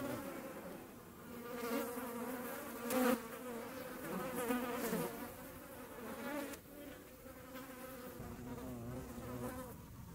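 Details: European hornets in the Eifel buzz steadily, a low droning hum with shifting pitch as they fly close and away.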